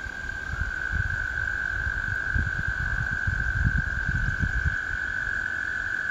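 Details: Spring chorus of American toads, one sustained musical trill running unbroken across the whole stretch, over low-pitched background rumble.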